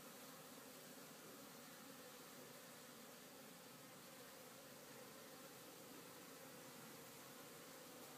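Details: Honey bees at a farm, back at work after a day of rain and rest: a dense, steady hum of many bees, continuous and even throughout.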